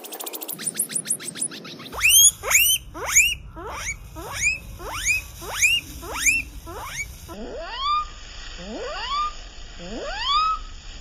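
A guinea pig gives a series of rising, whistled wheeks, slowed down and deepened in places.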